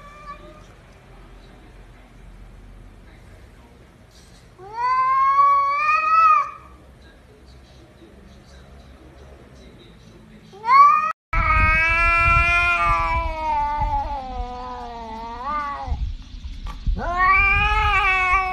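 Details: Cat making human-like talking sounds: a short rising meow, then a long wavering drawn-out yowl with pitch bends, and a final rising meow, over a low steady hum.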